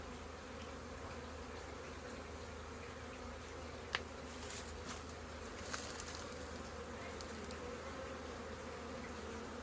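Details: Hundreds of honey bees at a beehive in April, steady whirring hum with a few sharp clicks and short louder bursts in the middle.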